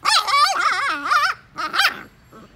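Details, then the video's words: Pet puppy 'talking': a loud, drawn-out, yowling whine that bends up and down in pitch across about one and a half seconds, a brief pause, then two shorter rising-and-falling yelps trailing off into quiet. "Talking Puppy | Baat Karne wala Puppy | Puppy Speaks"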